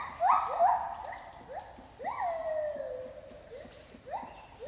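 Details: Two wild gibbons singing in the rainforest of Thailand's Khao Yai National Park, spatial audio recording: loud upward-swooping whoops, one stretched into a long descending slide, followed by softer rapid rising notes.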